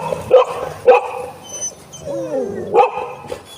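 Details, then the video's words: Golden Retriever at home meeting a new friend, barking in sharp yips about three times, with strong harmonic stacks and a short whining tone between barks, while a woman speaks nearby. "My Golden Retriever's have a new friend"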